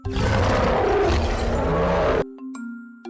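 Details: Tiger roaring: a loud, rough, broadband roar held for about two seconds, heavy in low tones, then cut off abruptly, with steady background music tones continuing underneath and after.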